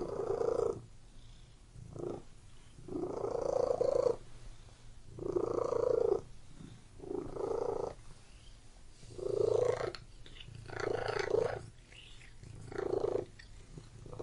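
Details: A pet cat purrs continuously, a throaty rumble that rises and falls in a regular cycle, with louder bursts roughly every two seconds and softer rumbling between them. It is close and quiet, with nothing else clearly audible.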